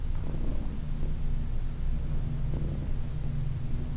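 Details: Heidi, a 14-year-old adopted shelter cat, purrs while being massaged: a continuous low droning rumble with faint hand-rubbing sounds.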